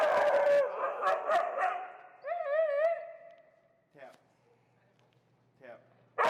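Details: Feral husky Finnegan, very vocal and protesting during heel training, gives wavering, quavering yodel-like cries that bend up and down, mixed with rough vocal noise early on, followed by quieter stretches and brief sharp sounds.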